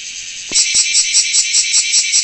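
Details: Large brown cicada singing: a dense, loud, harsh buzzing drone that starts half a second in and then pulses rhythmically about four times a second, with short clicks at the onset.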